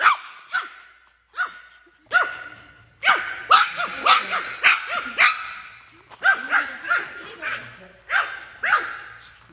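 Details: Male Maltese, born May 2019, thrilled to be out in a forest in Okcheon, South Korea, gives bursts of shrill, sharp yaps and barks, sometimes in quick clusters, broken by brief pauses.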